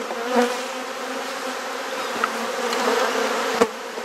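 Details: Honey bees buzzing during a hive inspection and frame swap in a garden in Perth, Australia; a steady droning hum with stacked tones, broken by a few sharp clicks and knocks from handling.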